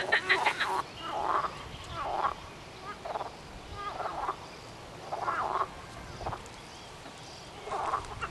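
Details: Frog calls from a short film: quieter, spaced groups of low, nasal croaks, each lasting about half a second and repeating roughly once a second, over a soft background.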